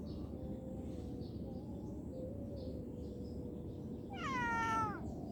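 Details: Cute kitten at play lets out one clear meow near the end, a rich harmonic call sliding downward over under a second, set against a steady low background rumble and faint hum.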